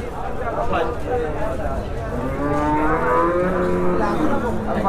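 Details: At the Oronkhola cattle market, improved-breed Holstein Friesian cows yielding 40 liters are milked; several long, bending moos overlap and climb in pitch while crowd talk and a continuous low rumble fill the background.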